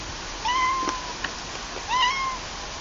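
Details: Two clear cat meows, each a smooth arched mew lasting about half a second, separated by a soft click, over faint steady background hiss.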